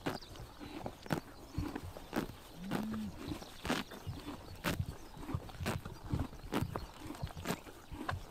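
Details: Horses biting grass in the morning sun during summer in Mongolia: sharp tearing crunches come irregularly, several per second at times, over a soft outdoor background, with one brief low droning call in the middle.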